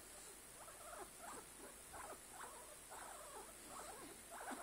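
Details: Guinea pig making a run of short, soft squeaky chirps and chatters, spaced irregularly about every half second, faint against a steady high hiss.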